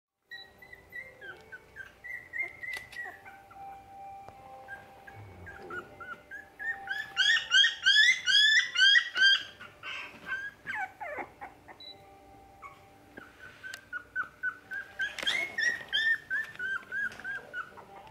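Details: Jack Russell Terrier puppy at a pet shop in Nara, Japan, giving thin, high whimpers and squeaky yelps, some sliding up and down, in runs of quick repeated cries with short pauses between bursts.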